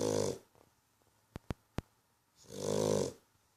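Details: Sleeping dog snoring indoors: two rough, buzzy, harmonic-rich snores, the second longer and louder, separated by about two seconds of quiet broken by a few sharp clicks.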